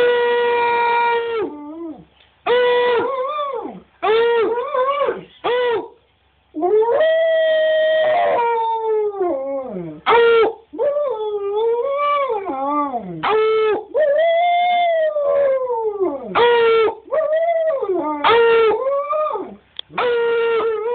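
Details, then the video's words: Steady howling session by Cash, a husky/wolf hybrid that loves to sing: many short-to-medium howls, some held level, others bending up and curving down, with brief gaps between phrases. "Our husky/wolf hybrid "Cash" singing (howling)"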